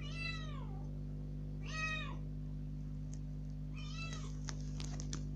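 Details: Young rescued kitten, freed from its cage into the room for the first time, cries insistently to be let outside; three bent, harmonic-rich meows followed by light tapping clicks, low hum throughout.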